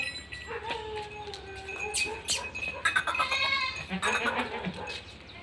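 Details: Beetal goat at a goat farm, giving a drawn-out, wavering bleat that slides lower over about two seconds, amid clatter, farm noise and a man talking.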